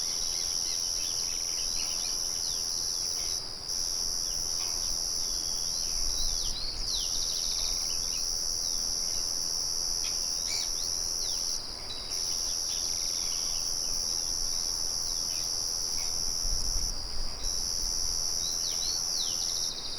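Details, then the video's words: Twenty seconds of steady, piercing cricket trilling, interrupted by several short pauses. Many small bird chirps and sliding tweets are mixed in, with low rumbles from the nearby mill. "Sonido de Grillos y Pájaros"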